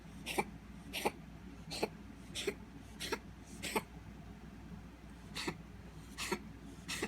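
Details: A cat making strange noises: short, sharp, rough bursts like coughs or snorts, repeated about every 0.6 to 0.8 seconds with a brief pause midway, over a steady low hum.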